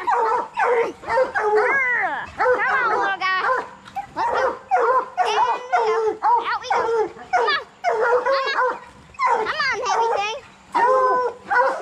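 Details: Training session for raccoon-hunting hounds, bluetick and black and tan coonhounds. Bawls and yelps overlap almost continuously in a busy chorus, with a few quavering, wavering notes among the choppy calls.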